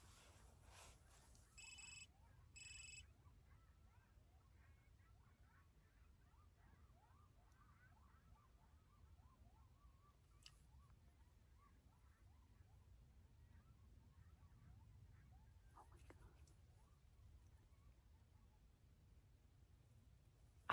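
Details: A distant coyote chorus of quick, wavering yips and short howls carries faintly over a low night rumble on the California Riding and Hiking Trail, Joshua Tree National Park, in late December.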